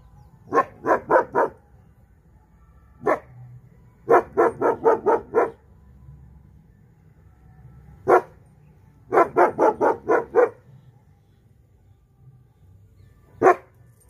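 A seven-month-old German Shepherd gives loud, sharp barks in rapid runs of four or five, then single barks. Long quiet gaps separate the bursts, with a low hum underneath.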